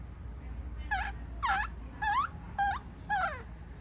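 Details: Five rapid, evenly spaced cries from a baby monkey in a tantrum as its mother leaves, each a short harmonic wail that rises or dips sharply, delivered about every half second over low background noise.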